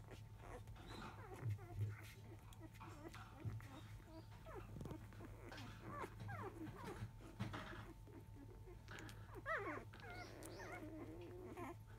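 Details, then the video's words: Labrador Retriever pups, field type, aged five days, fussing around 1 pm as their mother goes off to eat; soft scattered mewing whimpers building to a cluster of higher squeals near the end, over background hum and faint voices. "Labrador puppy 5days old♪ラブラドールレトリーバーの子犬・生後5日目・13時すぎ・お母さん犬はご飯中・・・"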